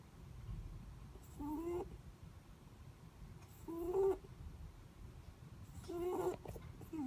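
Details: Sleeping Netherland Dwarf rabbit snoring: soft, whistled, slightly rising nasal tones with faint overtones, three breaths spaced a little over two seconds apart over a quiet low room hum.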